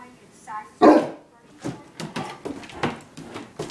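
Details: A 185 lb English Mastiff gives a single deep, loud bark at bras, with people talking before and after.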